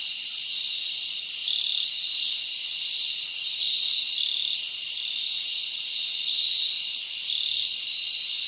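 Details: Summer night in the forest with crickets chirping, a steady high shrill wall of sound overlaid by short, sharp repeated chirps popping out at uneven intervals over the constant buzzing drone.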